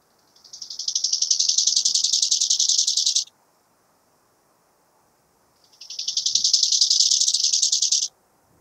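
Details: Two swelling phrases of rapid, rasping high-pitched pulses, each about two and a half seconds long and separated by a short silence, from a bow-winged grasshopper recorded at Hanfeld, Germany, in September 2021.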